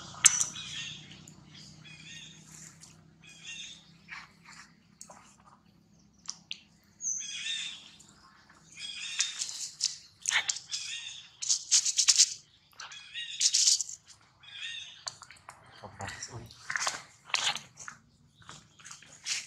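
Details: Infant monkey Rex crying loudly while his mother Rose repeatedly rebuffs him during breastfeeding; harsh, high-pitched squealing cries in uneven bursts, growing louder and denser toward the middle, over a low steady hum.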